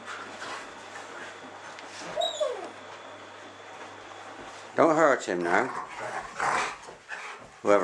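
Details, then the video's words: Two schnauzers in a play rumpus, two friends letting off steam; a cluster of harsh, harmonic barks and yelps in the second half follows a quieter stretch, while people talk and comment. "schnauzer play rumpus"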